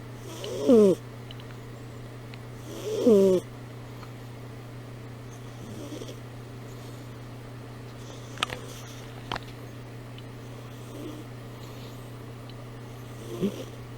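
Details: Amy, a pet cat, sleeping with purring and snoring: two loud, rough harmonic snores about two seconds apart near the start, then softer, fainter breaths later, all over a steady low indoor hum with a few faint clicks.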